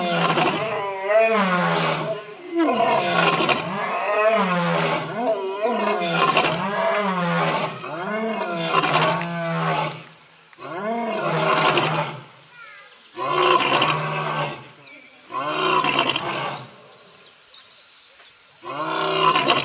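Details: Lion roaring in a long sequence: powerful drawn-out roars giving way to a string of shorter grunts that gradually space out and fade, with a brief higher squeak near the end.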